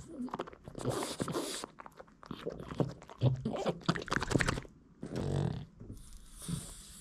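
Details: Boston Terrier eating hard dog treats, small duck bones, with loud irregular crunches and bites in bursts, wet chewing in between, and short pauses of near quiet.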